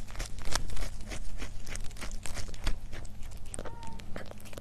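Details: Cat eating for an ASMR mukbang: dense, crackly crunches and bites come in quick, irregular bursts, with soft tearing noises and a low steady hum underneath indoors.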